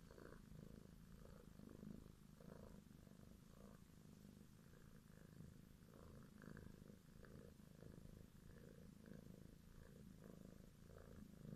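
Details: Purring grey kitten with green eyes, from a litter of four born in February 2017, stroked by a person: continuous soft low rumble with even rhythmic pulsing throughout, quiet room.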